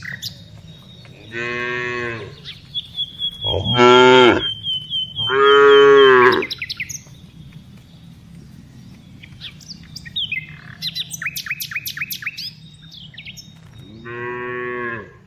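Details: Tame cows being herded in the afternoon moo repeatedly with loud, drawn-out, harmonic-rich lows rising and falling in pitch; small birds chirp and twitter in the pauses, and a thin whistle sounds briefly.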